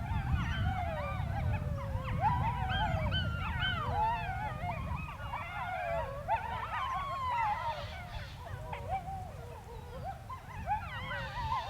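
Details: Wolves howling on the Sharr mountains: a chorus of overlapping wavering howls that rise and fall and bend sharply, mixed with shorter yipping notes, running throughout over a steady low rumble of wind.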